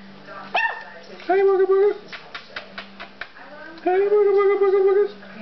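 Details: Jack Russell Terrier puppies give long, steady whining cries of about a second each, with soft short yelps and clicks in between.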